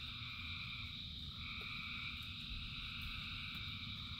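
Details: Frogs calling in rain, described as thousands singing together: a dense, unbroken chorus of steady droning trills stacked at several pitches, with a constant low patter of rainfall underneath throughout.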